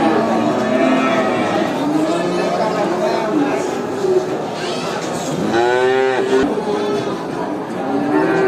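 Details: A crowd of cattle at a traditional animal market: a steady mix of low moos, then one loud, rich, rising bellow near the end, with people chattering and general market noise throughout.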